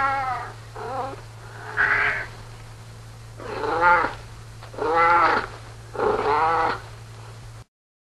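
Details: Domestic cat meowing six times in a row, each meow a drawn-out harmonic wail of about half a second to a second, some rising then falling, spaced roughly a second apart, over a steady low hum.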